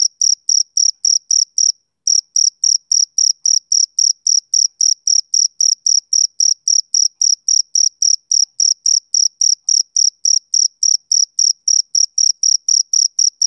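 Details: Male cricket chirping on a summer evening: fast, piercing pulses repeat steadily, pause briefly once near the two-second mark, then resume for some forty more chirps at the same even pace, with no other noise.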